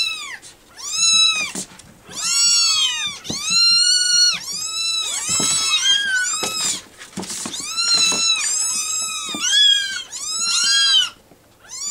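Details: Several rescue kittens calling to be fed at feeding time: dense bursts of shrill, arched meows in overlapping clusters, pausing briefly between bouts.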